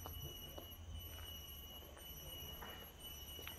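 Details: Cicada calling during a quiet pause on a nature walk in Chestnut Nature Park, Singapore: a faint, steady high-pitched drone with continuous tones and a pulsing upper band, running unbroken beneath soft forest ambience.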